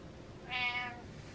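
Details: Butters the pet cat meowing insistently to get its owner out of bed, a single clear harmonic meow lasting about half a second in a quiet indoor room.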